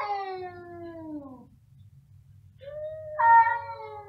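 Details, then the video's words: Two cats meowing very loudly: a long, falling, nasal wail fades out, then after a pause a second drawn-out cry starts low, jumps higher and slowly sinks, with a faint low hum behind. "2 tenor cats in concert | Meowing very loudly"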